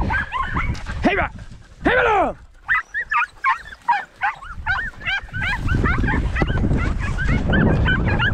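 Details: Podencos hunting rabbits in the 2023 season, two loud arching barks followed by quick, irregular yelps, roughly one per second, then continued yapping as louder rustling and movement noise rise.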